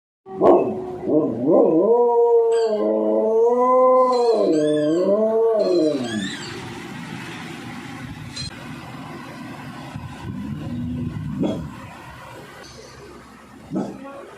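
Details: American Pit Bull Terrier howling: a few sharp yelps, then a wavering, harmonic howl rising and falling for about four seconds, fading into quieter background noise with faint yelps.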